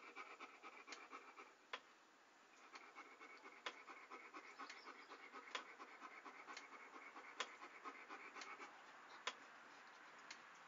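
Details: ASMR of a panting dog: rapid, airy breaths stop briefly early on, then resume as a steady rhythmic huffing with occasional clicks.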